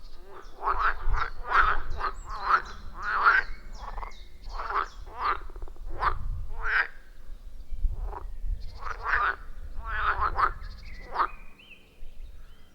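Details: Forest pond frog chorus recorded on an iPhone 14 Pro with a Shure MV88+: quick series of rasping croaks crowded in the first seven seconds, then sparser, under a persistent low rumbling background.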